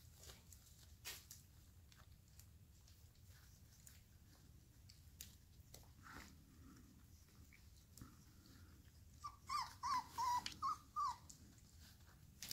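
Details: Nine four-and-a-half-week-old AKC registered Airedale Terrier puppies, six males and three females, playing indoors in San Diego, California; a quick run of short, high, whining yelps comes near the end over quiet room noise and faint scuffling.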